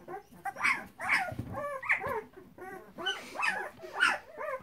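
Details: Flat-coated Retriever puppies in a whelping box, several whining together: wavering, arched whimpers repeated about every half second, with some low rustling underneath.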